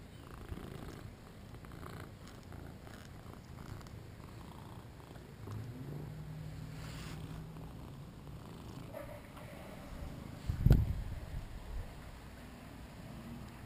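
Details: Shinobi, a two-year-old male British Shorthair, during play, captured on a GoPro: a low, steady purring rumble runs through most of the stretch, with one sharp knock near the end and faint handling noise.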